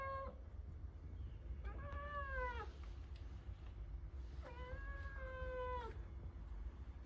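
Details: Blue, a noisy Persian cat, meows to be let outside: drawn-out, slightly falling meows, a clipped one at the start and two longer calls about two seconds apart, over a low steady rumble.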